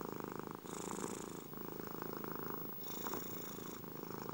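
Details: Close, rhythmic purring from a cat: a vibrating low rumble with rapid pulses, changing character as breathing alternates about every second. Quiet background.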